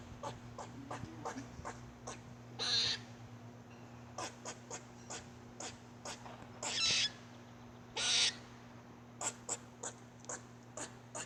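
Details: Squirrel giving an odd vocal display: rapid dry clicks repeated in loose series, broken by three longer raspy, breathy bursts, with a constant low hum underneath.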